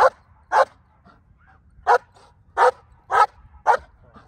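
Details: Hold and bark drill with a female black German Shepherd in Colorado, training for an IGP1 trial 37 days away: a few powerful barks, a pause, then four more in quick succession.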